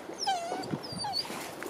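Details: Aamu Tähti, a four-year-old female Finnish Spitz in heat, on an early-morning walk on April 17, 2020, at the Sisjön nature reserve outside Göteborg, Sweden, after finding a squirrel. She gives two high, falling, whistly whines while a person offers treats.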